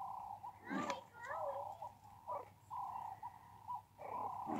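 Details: Captive meerkats playing in a ball pool given as enrichment give steady, mid-pitched peeping calls with short rising and falling slides, while a person speaks nearby.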